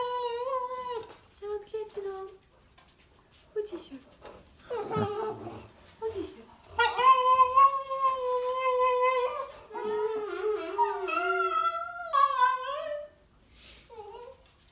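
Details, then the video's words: Cavalier King Charles Spaniel pet "talking" to people at home over a weekend stay, producing long, sustained, wavering whines and moaning howl-like notes with short breaks, a human voice faintly mixed in. "I babysitted a talking Prince Charles this weekend (dog)"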